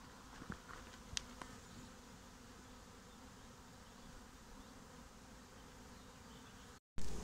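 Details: Honeybee swarm moving into a new home, a continuous low buzzing drone throughout, with a few sharp clicks early on and a short break near the end.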